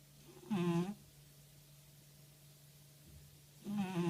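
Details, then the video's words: Snoring cat Motya in a quiet room, breathing out in a steady rhythm: a droning, harmonic-rich snore near the start, a long hush, then a second snore beginning at the end, over a constant low electrical hum. "Кошка Мотя храпит"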